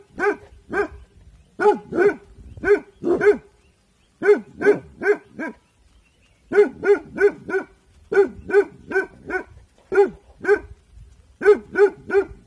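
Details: Bhotia dog Dabu Goli guarding at evening time, alert and barking. Twelve seconds of repeated barks in clusters of two to five, separated by brief silences, with a consistent tone throughout.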